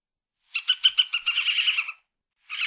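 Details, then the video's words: Badger giving a burst of rapid, high, harmonic pulses that speed up into a buzzy chatter lasting about a second and a half, then a second short buzzy burst after a pause; clean, quiet background. "SONIDO DEL TEJON SOUND BADGER"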